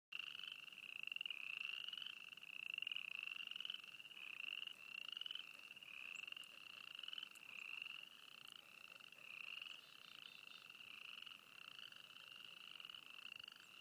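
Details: Frogs calling together at Froggy Flats, East Glacier, Montana: a dense chorus of overlapping pulsed trills, each about a second long and slightly rising, following one another without pause at a steady high pitch.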